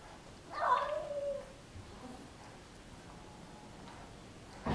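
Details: Indoor cat wanting badly to play with a neighborhood cat that visits regularly: one drawn-out meow lasting about a second, sliding down in pitch, followed by quiet room noise and a sharp knock at the end.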